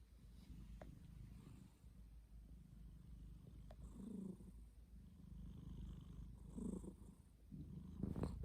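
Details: Snoring of a sleeping domestic cat: a soft, low rumble with several louder, rougher breaths toward the middle and end.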